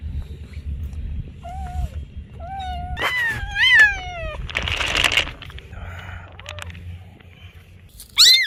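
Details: Noisy cats at play give a string of varied meows, some rising and falling, some stretched into wavering wails, with a harsh hissing burst midway and a sharp high cry at the close.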